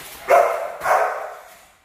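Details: Two loud, rough barks from Rottweiler puppies in guard training, the second bark trailing off into quiet.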